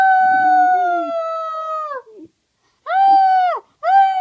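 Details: Keisha the pet dog howls indoors on request: a long level howl of about two seconds that falls off at the end, then after a pause two shorter howls, each dropping in pitch as it fades; harmonics strong, little background.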